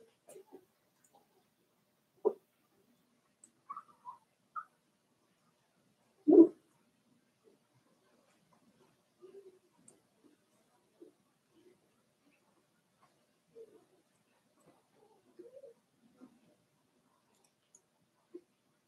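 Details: Four-week-old Cavalier King Charles Spaniel puppies from Daisy's litter in their puppy pen: sparse, short squeaks and soft whimpers scattered across long quiet gaps, with one louder, sharper yelp partway through.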